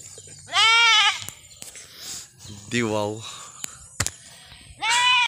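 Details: Bleating goat from Mindanao in the Philippines: three nasal, quavering bleats spaced a couple of seconds apart, the middle one lower and sliding downward, with sharp clicks and knocks in between.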